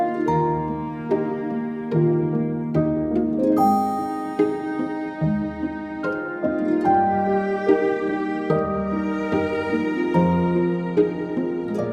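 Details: Instrumental music of plucked and bowed strings, harp-like notes and a steady melodic line, with no animal sounds heard.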